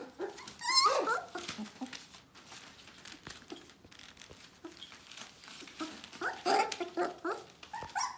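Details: Litter of Bohemian Shepherd puppies, almost four weeks old, in a small room: thin high-pitched whining squeals rising and falling, a loud squeal early on, then scattered short whimpers and nasal yelps over light rustling.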